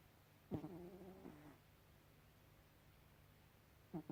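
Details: Pet cat asleep indoors, giving one drawn-out rasping snore lasting about a second, followed by quiet, then the start of another short breath at the end.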